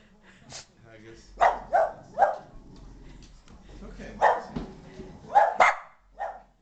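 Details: Boston Terrier dog freaking out in a living room as an Asian ball-jointed doll visits for the first time; sharp, harsh barks come in quick pairs and triplets with short pauses, over a low background hum and faint whining between bursts.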